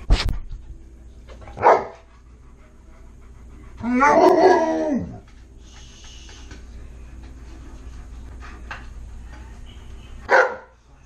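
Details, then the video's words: Alaskan Malamute named Tonka indoors, asking for french toast, calls for food: short harmonic howl-like bursts near 1.7 and 10.4 seconds and a longer wavering, warbling vocalization around 4 seconds, with quiet room noise between. "Malamutes Unusual Way Of Asking For Food"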